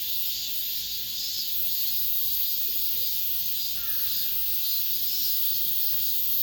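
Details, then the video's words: Cicadas singing among the buildings of an apartment complex at the close of summer: a dense, steady, shimmering buzz, high-pitched and continuous, pulsing slightly in intensity, with a faint low hum underneath. "올 여름 마지막 매미소리"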